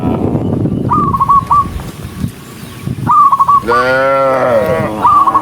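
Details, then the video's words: Walking tame cattle in a huge herd: a rumble of hooves and murmur at first, then one strong, bending moo, with bursts of stuttered chirps on either side. "cow Sound cow Moo"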